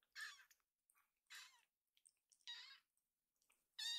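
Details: Rescued kittens Pochamaru and Migi, a young pair, meowing while one grooms and the other wants to play; four to five bright, high, wavering mews come in quick succession, each under half a second, with short gaps between.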